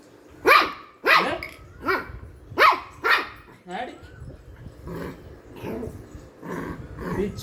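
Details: A playful Shih Tzu barking: about six sharp, high yaps in quick succession, then quieter muffled barks and yips as a person talks in Tamil in the background.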